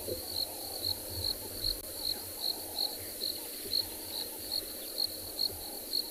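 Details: South African game reserve in summer, December 2020, during an afternoon game drive: crickets keep up a bright, piercing pulse repeated roughly every half second, with a deep engine-like rumble underneath.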